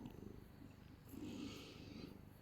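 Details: Brief, soft purring from a held pet cat with white whiskers, an even low rumble with light rustling, a woman talking to it just before and after.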